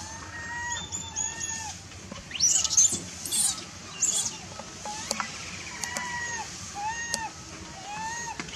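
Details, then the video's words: Baby macaque angry and shouting after its mother refused it milk: a series of short, arched, tonal cries that rise and fall, repeated about once a second, with scattered clicks and rustling between calls. "The mother monkey refused to give the baby monkey milk, the baby monkey got angry and shouted loudly"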